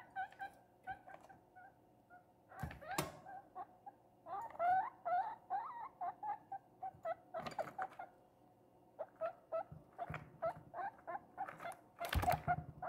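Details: Pet guinea pig Princess, a little female kept indoors, eating cucumber with pleasure after two days of not eating. Bursts of short squeaks, some bending up and down, mix with crisp chewing clicks and a few loud thumps.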